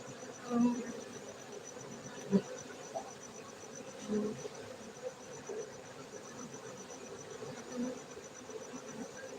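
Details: Steady swarm drone from honey bees kept at a Gayo beekeeping centre in Aceh, Indonesia, with several soft knocks and swells at irregular intervals.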